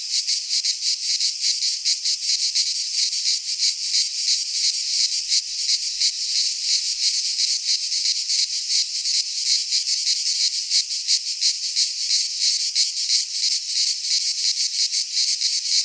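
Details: Midsummer cicada chorus from a pine forest in Greece, an unbroken shrill buzzing wall of sound with fast rhythmic pulsing throughout, loud and steady, nothing else audible.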